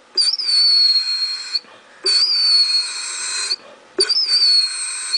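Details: Basset Hound named Otto 'singing' for ravioli at suppertime: three sustained, piercing whistled whines, each falling gently in pitch and held about one and a half seconds, separated by brief quiet gaps.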